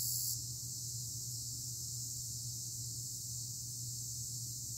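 A cicada gives a steady, high-pitched buzzing drone that holds without a break.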